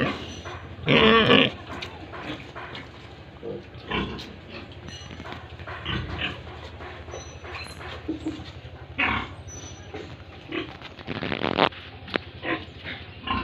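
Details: Farm pigs in Tripura, India, give a harsh squealing burst early on, then sparse grunts and a second noisy cluster of squeals near the eleventh second, with quiet barn noise between them.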